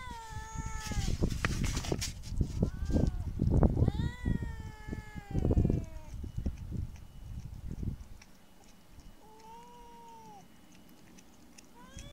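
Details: Street cats give a few bent, whining meows in the first half amid heavy low thumping and handling noise, then one clear falling meow near ten seconds in a quieter stretch.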